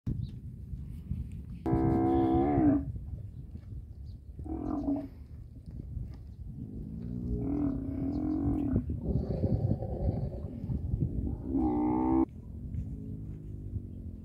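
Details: Camel giving a loud calling sound: harsh, strongly harmonic bellows of one to two seconds, several in a row with rough low rumbling between them and steady background noise.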